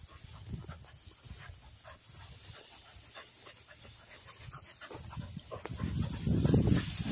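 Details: Cocker spaniels retrieving along a river bank in gundog-style work; quick rhythmic panting, roughly three to four breaths a second, over low rumbling wind or handling noise that swells louder near the end.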